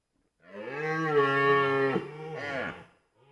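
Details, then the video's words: Red deer stag roaring during the 2023 rut in Białowieża Forest; a drawn-out, rich, low bellow of about two and a half seconds that breaks sharply near the end into a short rising-and-falling tail, with little other sound. "Rykowisko 2023, ranny jeleń"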